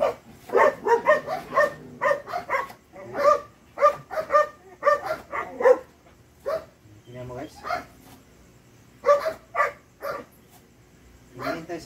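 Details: Two-month-old Belgian Malinois puppy during bite drive training, with cage opening used as a reward; bursts of short, sharp, high yappy barks, several in quick succession, then pauses, alongside human voices.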